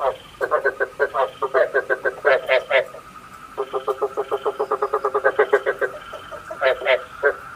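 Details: Night-trapping decoy frog: rapid, rattling pulsed croaks, one almost steady train after another, with buzzy harmonics and a thin constant high tone in the background.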